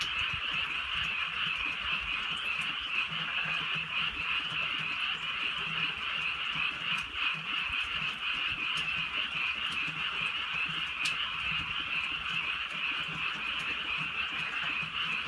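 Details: Frogs heard at night in rural surroundings while light rain falls; an unbroken mass of fast, overlapping croaks makes a steady buzzing trill, with a brief dip near seven seconds and faint ticks here and there.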